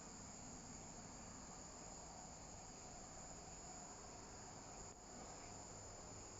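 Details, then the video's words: Viadana katydid at San Juan, Santa Cruz, Bolivia, recorded 10 February 2022: a steady, dense high-pitched insect drone runs unbroken through the clip over a low background hum. "viadana sp. chirping sound"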